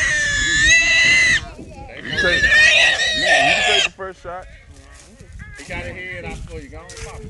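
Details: Three young wild boars caught in a small trap squeal loudly in two long, harsh bursts. Quieter broken, wavering cries and grunts follow, fading to softer squeaks.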